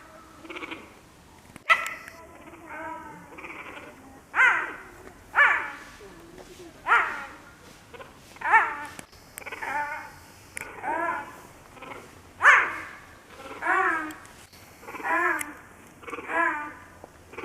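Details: Zoo cheetah at Tama Zoo, Japan, vocalizing insistently as if it wants to go home; a steady sequence of about a dozen short, yelping chirps, each one falling in pitch, spaced about a second apart.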